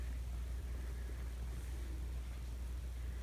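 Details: Steady low engine-like rumble and broadband hiss, with no animal voice.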